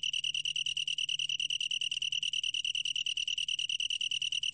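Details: Long-tailed tree cricket song, a 2020 recording from Korea's National Institute of Biological Resources: a steady, pure high-pitched trill made of rapid, evenly spaced pulses, with faint higher overtones and a quiet low hum underneath.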